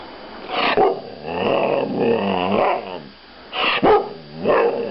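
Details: Female Thai Ridgeback dog kept as a pet, 'talking': drawn-out, moaning, groaning vocal sounds with wavering harmonics, a few sharper yelps, quiet room.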